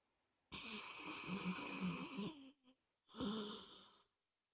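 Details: Pet dog Moses snores indoors, a harsh wheezing inhale lasting nearly two seconds with a fluttering rattle, a short pause and tiny snort, then a second rasping snore of about one second.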